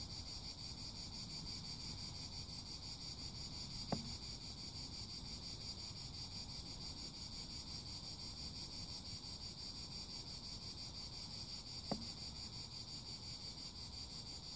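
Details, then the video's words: A chorus of cicadas buzzing steadily at a high pitch throughout, over a low rumbling background, broken only by two brief sharp clicks several seconds apart. "CHANT CIGALES - CICADAS"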